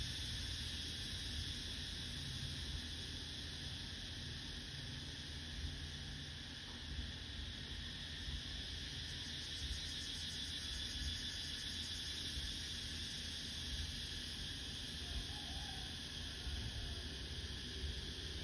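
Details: A cicada buzzes at midday in summer, a steady, high-pitched drone carrying on without pause over a low background rumble.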